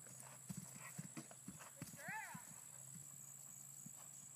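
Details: Hooves of a female Percheron jumping a 3'9" fence for the first time: a run of muffled thuds, with a brief rising-and-falling human voice in the middle and a constant background hum.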